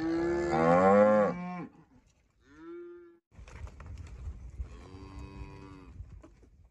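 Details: A cow gives a loud, harmonic moo, followed by shorter, softer lowing calls.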